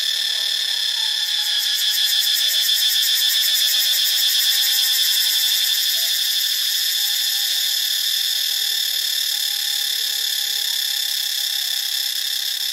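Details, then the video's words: Cicadas recorded in Ubon Ratchathani, Thailand, produce a loud, shrill, sustained buzz. For the first half it pulses rapidly, like fast trilling, then settles into a smoother steady hiss that fades slightly toward the end. "เสียงจักจั่น (Cicadidae)"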